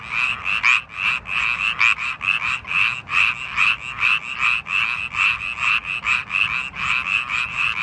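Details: A male Japanese tree frog (Hyla japonica), Korea's smallest frog, calls with rapid, raspy, high-pitched pulses, repeated in quick steady bursts.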